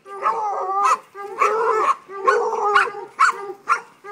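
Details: Five-month-old Treeing Walker Coonhound pup giving loud, harmonic bawling barks in short bursts about a second apart, some drawn out, while a man urges it on with shouts of encouragement.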